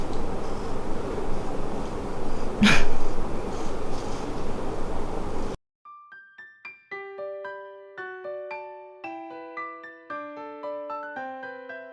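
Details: Steady room noise with one sharp burst gives way halfway to a gentle solo piano melody of descending notes.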